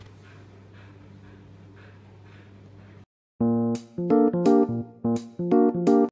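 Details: Steady background noise gives way to electric piano music, with no animal sounds.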